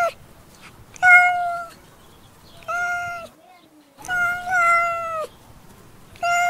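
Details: Domestic cat meowing: clear, drawn-out tonal meows, each about half a second to a second long, with rich harmonics and a slight downward bend, repeated several times with short quiet gaps between calls.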